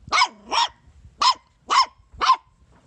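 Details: Corgi puppy bouncing and barking: five sharp, high, bright yaps about half a second apart, the first two close together, then a short gap before three more, with faint thumps between.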